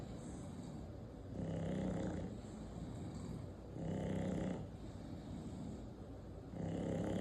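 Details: English Bulldog, eight months old, snoring with rough, rumbling breaths in a low, throaty tone, each snore lasting under a second and recurring about every two and a half seconds, with quieter breathing between them.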